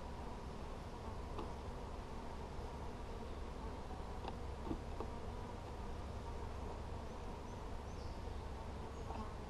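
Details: Hive check on 17 July 2020: a colony of honey bees drones continuously at a low, even pitch, broken only by a few sharp clicks as frames are handled.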